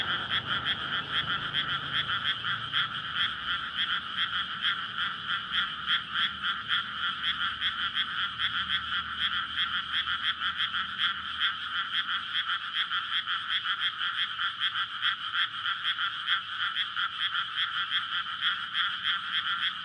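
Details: Courting frogs massed in a flooded rice paddy on a May night before rice planting, recorded with a Sony PCM-D100. Loud, unbroken rhythmic croaking, fast regular pulses throughout, a brief low vehicle rumble at the start.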